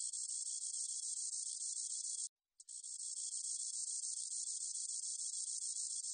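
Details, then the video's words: Spotted meadow katydid singing: a dense, high, hissing buzz held steadily for about two seconds, a brief break, then resuming unbroken for over three seconds; no other sounds. "점박이쌕쌔기, 여러번 듣기, 곤충소리"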